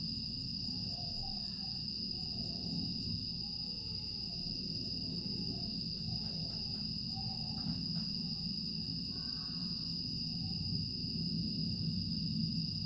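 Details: Grass insects on a quiet August night in Aewol, Jeju, recorded 25 August 2022: a steady, unbroken high shrill drone, with a fainter second tone below it, over a constant low rumble and scattered soft short chirps.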